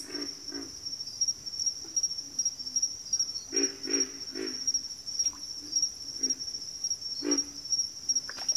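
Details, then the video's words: Backwater frog chorus of pig frogs and water frogs: deep, rough grunts given singly or in clusters of two or three at irregular intervals, with a constant shrill insect drone running underneath. "FROGS - Pig Frogs, Water Frogs, Backwater Chorus, & Frog Chorus"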